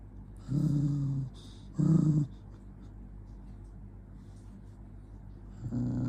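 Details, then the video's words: Angry dog giving low, rumbling growls in two bursts of about a second each near the start, then a quiet pause with soft breathing, and a third growl beginning at the end. "Jonggi the dog get angry"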